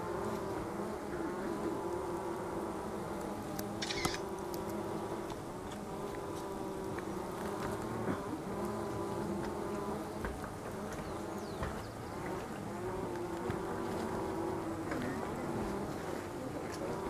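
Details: Angelita stingless bee (Tetragonisca angustula), a species valued for its honey, giving a steady low buzzing drone with layered humming tones and brief faint clicks throughout.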